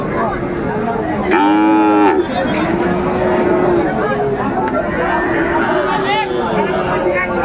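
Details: Sahiwal bull calves being sold at Dinajpur's Raniganj cattle market, 20 February; one loud, strained moo bursts out, followed by softer lowing calls, all over busy bargaining voices and crowd chatter.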